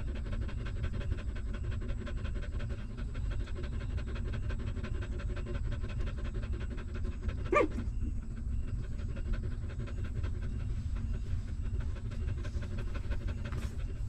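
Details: Stray mother dog nursing newborn puppies; a hungry pup sucks milk in quick regular smacking beats, broken near the middle by one short high whine-like squeak, all over a constant low rumble.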